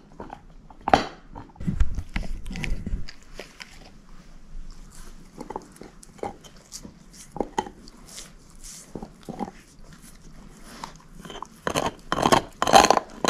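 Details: Female shepherd mix Moose chewing on a bone indoors, steady crunching and cracking bites at a rapid irregular pace, about two per second, growing louder and denser toward the end, with low thumps early on.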